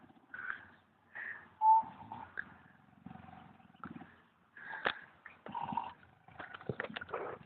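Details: A sleeping pig at the Wales Ape and Monkey Sanctuary in Abercrave, South Wales, snores in rough, pulsing, low rasps that come in short bursts every second or two, mixed with sharper clicks and brief higher tonal sounds.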